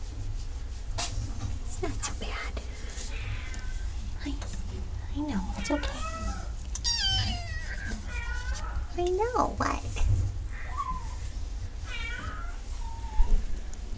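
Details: Cat meowing indoors over a steady low hum, with several wavering, rising and falling meows, some drawn out, amid faint speech.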